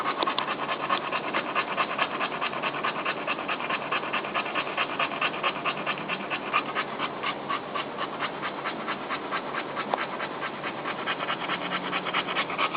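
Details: Dog with a new litter of newborn puppies pants rapidly and evenly, roughly 136 breathy puffs a minute, as she shifts to get comfy beside her babies.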